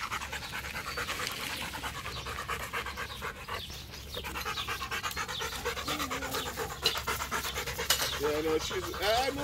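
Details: Macho, a Rottweiler, pants in quick, steady breaths during a game of fetch beside his favourite waterhole, while a man's voice talks to him briefly near the end.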